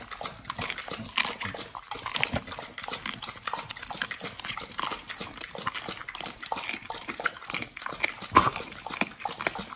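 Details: Pit Bulls feeding on raw beef, quail eggs and duck wings, with steady moist chewing and crunching, quick soft clicks throughout and a few louder bites near the end.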